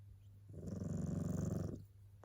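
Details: Snoring tabby cat, fast asleep, giving one loud, fluttering low rasp lasting just over a second, rising and fading smoothly, with a steady background hum.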